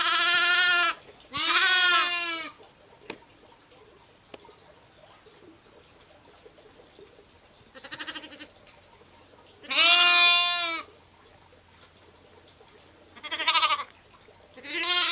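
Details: Sheep and lambs giving scattered bleats: two loud quavering calls early, then fainter and louder ones spaced several seconds apart over a quiet background.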